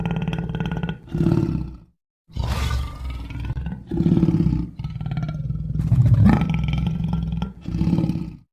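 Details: Lion roaring in a series of deep, pulsed bursts about a second long, separated by brief gaps, with a rough, throaty quality throughout.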